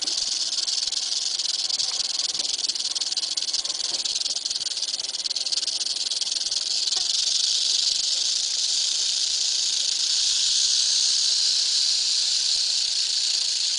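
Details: Sustained rattle of an eastern diamondback rattlesnake: an unbroken, hissing high-pitched buzz that keeps an even intensity for the whole stretch.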